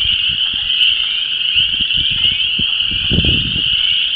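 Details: A dense spring frog chorus of Chorus Frogs, Spring Peepers and Wood Frogs at a disturbed ephemeral depression in Vermilion County, Illinois: many high, trilling voices blending into one steady, shimmering drone, heard through wind noise.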